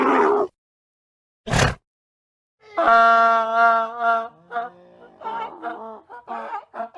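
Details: Donkey braying: after two short noisy bursts, a long harmonic, slightly wavering tone swells and fades, then breaks into a series of short, choppy, gasping notes.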